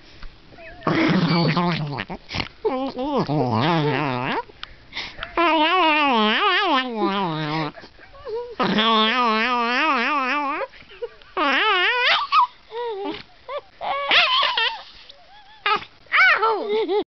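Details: A yodeling dog gives several long, warbling howls with a strong wavering vibrato, rising and falling in pitch. Short rough, low grunting bursts and brief pauses separate the bouts.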